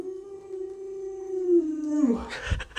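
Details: A household Alaskan Malamute named Lolo holds a smooth, even howl for two seconds. It bends downward as it ends, followed by scuffling and a person's voice.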